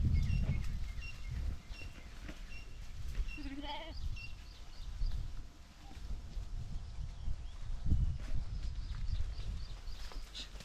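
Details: Sheep herd kept by a shepherd at Venukallu gudda, Hiriyur taluk, Chitradurga district; a short wavering bleat with stacked harmonics near the middle, over strong low wind rumble, handling noise and scattered clicks.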